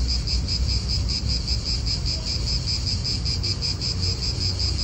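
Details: Cicadas calling in an Italian park: an unbroken, high, rhythmically throbbing buzz, several pulses each second, steady in loudness, over a low wind murmur.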